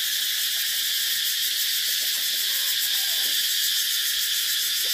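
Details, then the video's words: Cicadas in full, constant high-pitched rasping chorus with a quick rhythmic shimmer, plus faint lower twittering sounds partway through. "Tiếng Ve Sầu kêu hay nhất"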